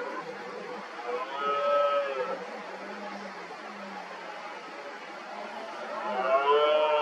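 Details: Red deer stags during the 2023 rut, several roaring as rivals gather around an injured dominant stag; two drawn-out, moaning roars about four seconds apart, each with layered harmonics, over a murmur of more distant calls.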